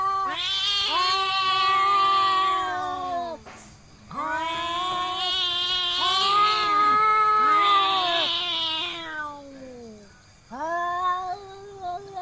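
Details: Fighting village cats from Indonesia let out loud, sustained, tremulous howls that rise then sink, three long wails separated by short pauses, the last one cut off.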